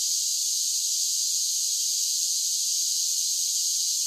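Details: Summer cicada song forms a continuous, level shrill drone, a bright high-pitched hiss without pauses or changes in pitch. No birds, voices or other noises intrude.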